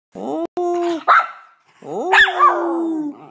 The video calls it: miniature schnauzer howls